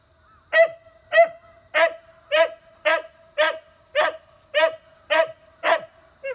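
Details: Beagle puppies, Gonta's newborn nieces, on Amami Oshima, Japan: a steady run of eleven sharp, bright barks about every half second, each bark evenly spaced and similar in loudness, with no other clear sounds.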